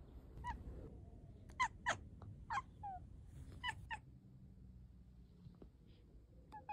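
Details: Domestic cat making brief clicking chirps, scattered singly and in pairs about a fifth of a second apart, quiet room background.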